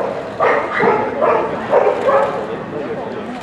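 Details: American Cocker Spaniel at the 204th FCI dog show, giving five short, mid-pitched barks spaced about half a second apart, then quieter, over a steady noisy hall background.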